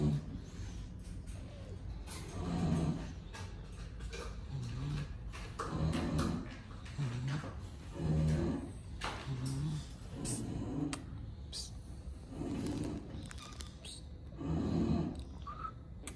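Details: A lilac English Bulldog gives low, throaty grunts and snorts, repeated roughly every two seconds.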